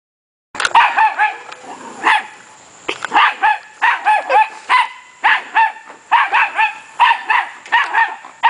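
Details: A puppy barking in quick bursts of short, high-pitched yaps, mostly in runs of two to four with brief pauses between, a steady faint high whine running underneath.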